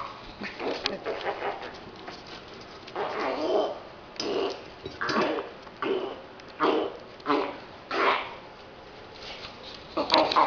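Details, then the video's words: Mastiff puppies six weeks old, several giving repeated short yelps and whines roughly every second, with rustling background. "mastiff puppies 6 weeks"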